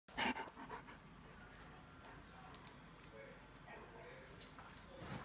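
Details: German Shepherds at play, the females ganging up on a male; quick breathy panting with soft whimpery noises and scuffling clicks, a few sharper broadband bursts near the start, low steady room hiss underneath.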